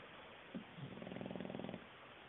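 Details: Knocked-out English bulldog asleep, letting out one short snort followed by a single rattling, low snore of about a second, against constant faint background hiss.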